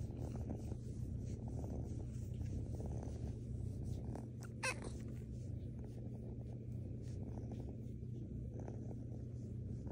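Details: Female rescue kitten purring while snuggled and cuddled; a steady, deep, rumbling purr runs unbroken through the whole stretch, with a brief sharp click midway.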